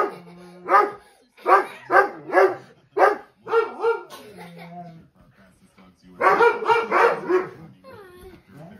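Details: Pet Dobermann indoors barking at televised dogs, giving rapid series of loud barks in two clusters separated by a short lull, with TV commentary running throughout.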